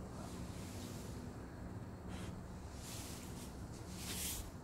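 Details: Outdoor wind rumble with low hum and brief hissy gusts; no animal voice is heard.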